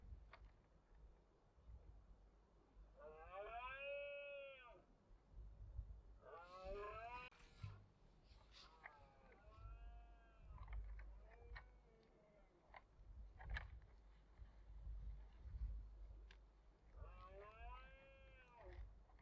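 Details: Red deer bellowing during the autumn rut in the Cantabrian Mountains, 2023: five arched, strongly harmonic calls, each about one to two seconds long, rising then falling, spaced irregularly, over steady low wind rumble.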